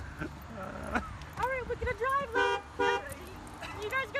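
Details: Four Golden Retrievers, Winston, Gracie, Reagan and Elliot, crowd excitedly into a car around a woman at a tire shop in Plaistow, New Hampshire; a quick run of short, arching, high whines and yelps, mixed with human voices.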